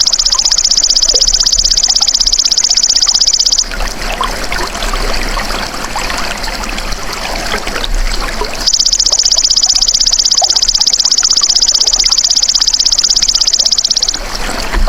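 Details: Golden grasshopper giving a high, dry, rapidly pulsed buzz for about three and a half seconds. After roughly five seconds of trickling, rustling background, a second steady buzz follows to near the end.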